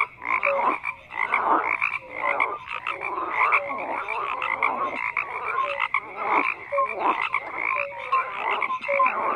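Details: Crowded frog chorus with overlapping croaks: harsh buzzy pulses rise and fall in waves, and small bright tonal blips recur throughout against the steady din.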